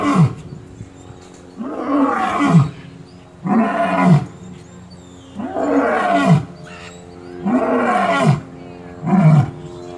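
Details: A lion at Gulf Shores Zoo gives deep, rumbling grunting roars, each about a second long, repeated every two seconds.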